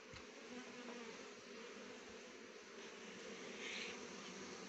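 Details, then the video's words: Honey bees gathering nectar from rhododendron (gurans) flowers to make honey: a steady, dense buzzing hum that swells and fades slightly as the insects move around the blossoms, with no other clear sounds. "मौरी bee honey गुराँसको फूलको रस बाट मौरीले मह बनाउँछ"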